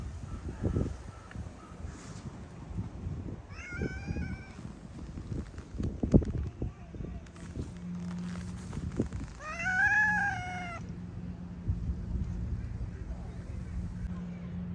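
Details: Stray cats in a heated exchange with feline companions; two clear harmonic meows, one near four seconds and a longer arching one near ten seconds, over a steady low engine hum, scattered thumps and faint human voices.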